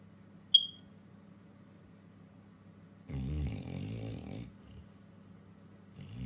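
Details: Labrador Retriever dog, female, in deep sleep and twitching, gives a rough, rattling snore lasting about a second and a half, framed by quiet stretches with a steady low hum; a brief sharp click sounds near the start.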